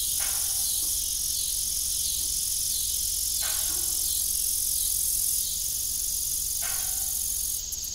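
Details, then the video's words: A continuous high, shimmering cricket chorus fills an evening on an old farm. Every few seconds a groaning squeal from the rusty windmill's broken blades cuts through it. "Evening Cricket Sound"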